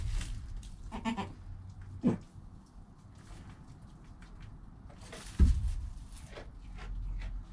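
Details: Goat kid Joel in the first hour of life, mother Penny nearby, captured on a GoPro: two soft, short bleats several seconds apart amid rustling, shuffling and low background rumble.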